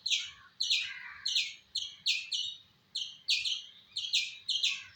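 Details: A squirrel calls in bursts of shrill, clipped chirps, some paired closely, with brief pauses between groups and faint low rumble underneath.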